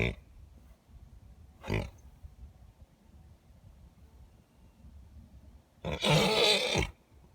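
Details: Two geldings kept together for years, making unusual noises never heard from them before, linked to spring fever: a short harsh blast, a second one, then a longer rough, breathy burst near the end, with low rumbling between.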